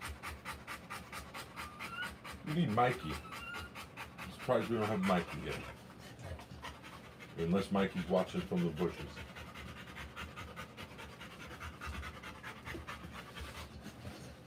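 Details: Rottweiler female panting while giving birth to puppies: steady, rapid rhythmic breaths run throughout, with human voices speaking in short bursts over them.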